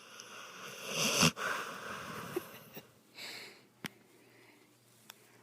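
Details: Bubba, a dog, snorting while held in someone's arms indoors: a loud, wheezy, rasping snort near the first second, then softer sniffing breaths, a hissy snuffle and a few sharp clicks.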